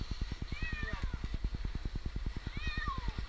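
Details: Jinx, an 8-month-old kitten stranded two nights in a tree in Newark, Ohio, gives two drawn-out descending meows about two seconds apart over a steady rapid mechanical throbbing, with faint human voices.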